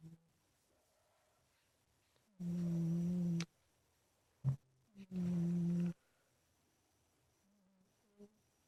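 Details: Big house cat Ninnie sleeping in his bedroom, giving two steady, hummed snores of about a second each, with a short soft click and near silence between them.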